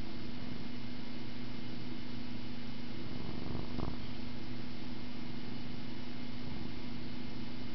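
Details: Pet cat purring while it plays with a camera string indoors; a steady, low, even rumble runs throughout, with a short soft knock or rustle just before the four-second mark.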